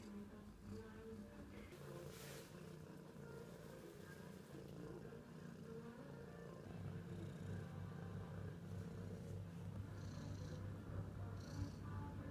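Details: Barley, a handsome ginger tabby cat taken in by a kind carer last December, purring: a steady low rumbling throb that holds throughout and grows slightly stronger in the second half, with faint voices and a few brief higher noises in the room.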